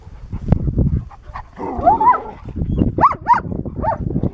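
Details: German Shepherd, a spayed female aged two and a half, exploring the grounds of a dog rescue ranch in Pleasant Grove, California, on August 16, 2018; short arched whining yelps near the end over rustling, thumping background noise.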